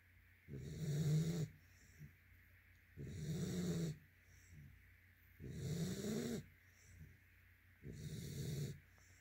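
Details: Sleeping yellow-white Labrador Retriever snoring: deep, rasping snores about every two and a half seconds, four long breaths in a row, with quiet pauses between them.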